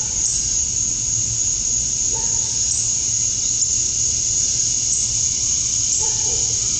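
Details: Male cicadas sing to attract females, a steady, high-pitched electric buzz droning on without a break at dusk on a summer night in Georgia, USA.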